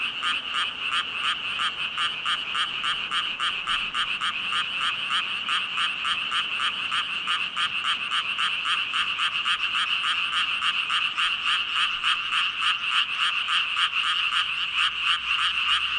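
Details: A huge chorus of thousands of frogs ribbiting nonstop, quick rasping pulses repeating about three and a half times per second, high-pitched and steady across the whole stretch.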